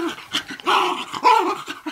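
A Basenji gives short, warbling, yodel-like cries that rise and fall in quick bursts.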